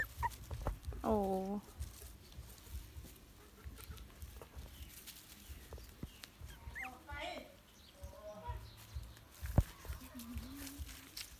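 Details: A Shih Tzu-Poodle cross puppy, one of a litter of 7 born 7 September 2019, gives a brief, high, falling whine, with a person speaking nearby.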